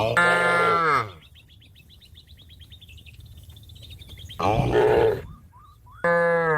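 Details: Cows calling their companions home to the pen, three deep harmonic moos, the first and second about a second long and the last cut short, separated by quiet gaps filled with rapid high bird twittering.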